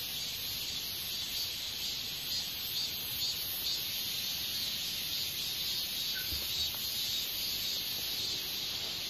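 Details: Hexacentrus japonicus katydid, an insect active as an adult from early summer to autumn, producing a dense, continuous high-pitched buzzing trill with a faint pulsing texture that stays steady throughout, with no other clear sounds.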